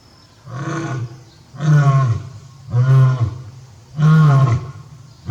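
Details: Zoo lion, a male at Tobe Zoo, Japan, recorded 5 October 2021 while calling repeatedly for his absent mate; four deep, rumbling roars roughly a second apart, each swelling and then fading.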